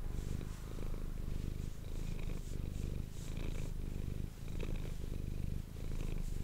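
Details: Domestic cat Manis purring close to an ASMR microphone indoors. A deep, continuous rumble swells and eases with each breath, roughly every second and a quarter, with faint soft breathing above it.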